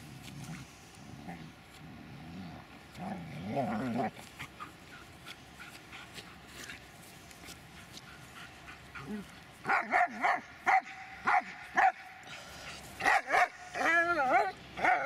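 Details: Dobermann named Magmar Von Der Burgstätte: low, wavering growl-like moans early on, then a burst of sharp, bright barks around the tenth to twelfth second, ending in quick yelping cries, with voices nearby.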